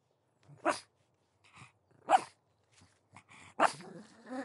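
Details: Three loud sharp pug barks spaced over a second apart, with small huffs between and a growly tail after the last bark.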